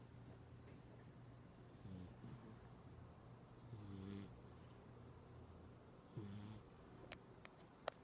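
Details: Pinkie Pie, a female pit bull, sleeps and dreams, giving soft, low, rumbling snores about every two seconds over a steady low hum, with a few faint sharp clicks near the end.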